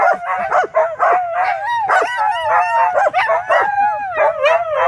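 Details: Howling dogs Cai and Apollo with lively Flyn; a wavering, slightly rising and falling howl continues beneath a string of quick barks and yelps.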